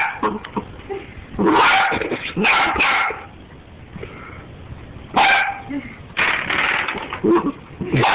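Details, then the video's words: Dachshund going crazy over a door stop, giving bursts of sharp, harsh barks in quick clusters separated by short pauses, with some low growling between them. "dachshund going crazy"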